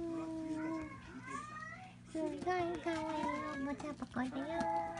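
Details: Two 31-day-old Munchkin kittens, babies of Ringo, indoors: thin, high mewing cries with clear harmonics, overlapping and wavering in pitch, some rising and falling, coming in quick bursts over a steady low background hum.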